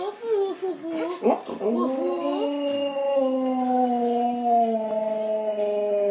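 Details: Pet Siberian Husky answering a 10-year-old boy who talks to it: a child's voice at first, then the dog's long, wavering, yodel-like howl that bends up and down and holds for several seconds.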